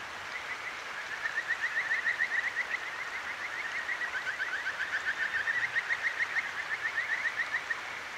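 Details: Kajika frog calling at night beside a clear mountain stream in Akigawa Valley, Tokyo, recorded on a ZOOM H6: a long trill of short rising whistled notes, about three or four per second, over steady rushing water.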